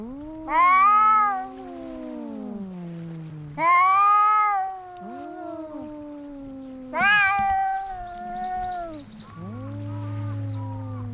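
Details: Cats in a fight trade drawn-out caterwauls: three loud rising wails a few seconds apart, each sagging into a long, lower moaning growl, over a faint steady low hum.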